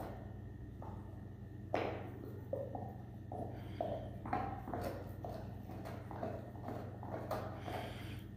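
A Weimaraner gnawing a bone, with irregular crunches and clicks over a low, steady hum.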